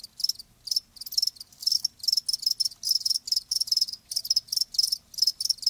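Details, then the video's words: Live crickets giving shrill high chirps in clustered pulses, roughly two bursts per second in a loose irregular rhythm, with faint low background hiss. "Live Crickets 60min "Natural Sound""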